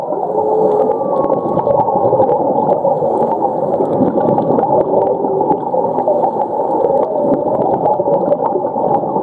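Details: Whale calls underwater at Ningaloo Reef, Western Australia, where humpback whales migrate in winter: faint drawn-out tonal moans, one higher and one lower early on, a few more later, half-buried in dense gurgling water noise and hiss.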